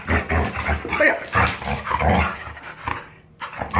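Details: Jindo puppy kept as a pet, recovered from illness, making pig-like grunts when happy while resisting a bath after a walk: low, rough grunting bursts every half second or so, a short pause, then more, with a person talking faintly.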